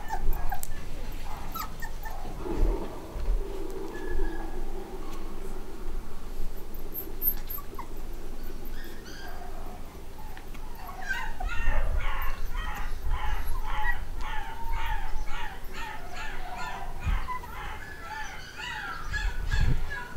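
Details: Eight-week-old black and white Cockapoo puppies from a home-bred litter; soft scattered whines early on, then a busy stretch of rapid overlapping yips and whimpers in the second half, with low thumps and handling noise.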